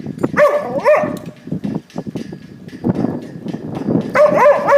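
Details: Dog chasing shadows, giving high, bending whine-yelps in two bursts, at the start and near the end, over scrabbling, clicking movement noise.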